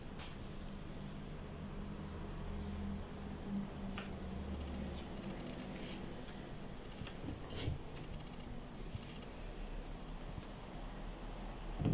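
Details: Indoor room tone with a low fan-like hum, broken by scattered soft clicks and rustles, with no vocal animal sounds.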